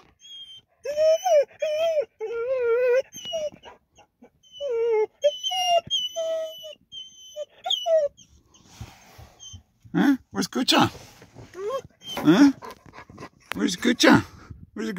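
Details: A dog that rarely barks gives soft, excited whines on arriving at a parking area to meet his friends: wavering, tonal whimpers repeated for about eight seconds, followed by a woman's talk and laughter.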